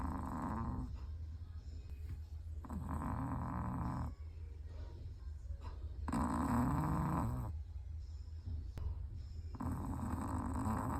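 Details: Sleeping Chihuahua snoring, part of a collected set of its snores: broad rasping breaths lasting one to two seconds, repeated with short quiet gaps, over a steady low background hum.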